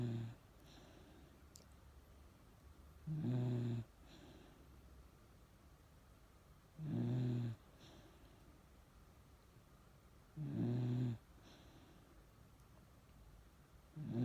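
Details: Miniature Dachshund named Chage, described as ageing, asleep with an old-man-like sleeping face, snoring: low rumbling snores repeating roughly every three and a half seconds, steady and even, in a quiet indoor room.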